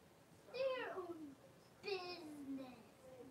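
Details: Blenheim Cavalier King Charles Spaniel puppies, a litter of five born on New Year's, in an indoor home puppy pen with their mother Paris, 26 January 2023: two drawn-out, harmonic whines, each sliding downward, about a second apart.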